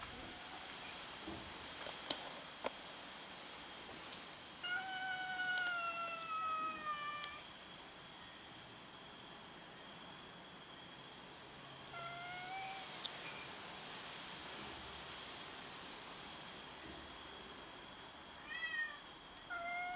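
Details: Hungry domestic cats fighting over food: a loud, harmonic, downward-sliding meow of about three seconds, then a shorter falling meow near twelve seconds and quick rising mews near the end, with occasional clicks and a constant high hum.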